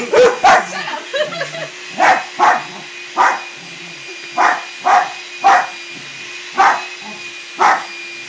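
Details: Puppy and a trio of dogs playing together on the weekend, giving a string of short punchy barks roughly every half to one second, some in pairs, with soft grumbles early and a low hum throughout.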